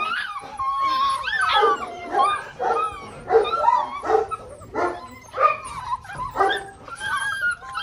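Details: Six-week-old Malinois pups of the Mensa x Pixel litter yelp and whimper together. Wavering high whines slide up and down over choppy yips, arriving in pulses about once per second.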